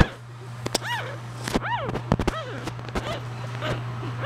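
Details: Newborn English Bulldog puppies, about two hours old, from a litter of four (three females, one male), give high, thin squeaks that rise and fall in short, irregular bursts over a constant low hum, with sharp clicks and knocks between cries.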